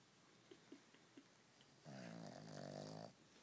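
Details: Pet dog snoring indoors in a small room: one long rough harmonic snore lasting over a second, preceded by a few faint soft clicks.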